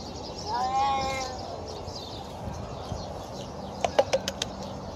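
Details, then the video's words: Hungry feral cat being fed alongside other stray cats, giving one short, slightly arching harmonic meow early on, followed by quiet outdoor background and a few sharp clicks near the end. "Hungry Feral Cat Makes Weird Noises!"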